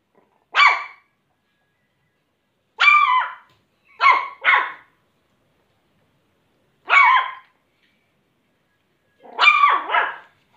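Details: A happy Shih Tzu puppy gives its first barks, high, squeaky yips, singly and in quick pairs, with long pauses between.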